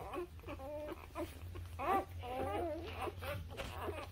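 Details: High, wobbling squeaks and whimpers from newborn puppies aged up to three weeks, coming in quick uneven bursts with several pups crying at once, and a low background hum throughout.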